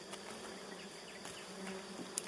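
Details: Honeybees at one of three fine nests, a soft steady hum running throughout with scattered faint clicks and ticks.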